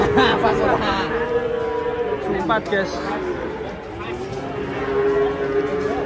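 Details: Cattle raging while being unloaded from a truck: drawn-out, steady low moos that rise and fall, heard over busy crowd chatter and shouting voices.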